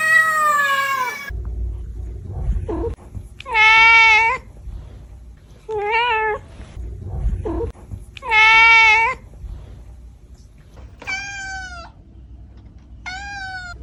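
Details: Domestic cat meows at irregular intervals, some long and clear, others shorter, over a steady background rumble and hiss; a final pair of higher, thinner mews closes.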